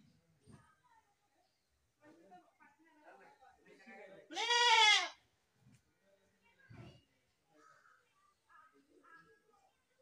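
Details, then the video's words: A single loud, quavering goat bleat rises out of quiet background with faint murmuring and scattered knocks before and after it. "best goat sound in the world | goat sound"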